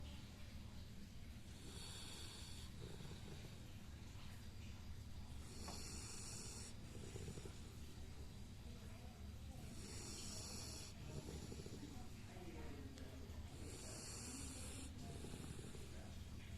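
A sleeping Labrador Retriever snores in slow, rasping breaths, each with a hissy, breathy edge, about every four seconds.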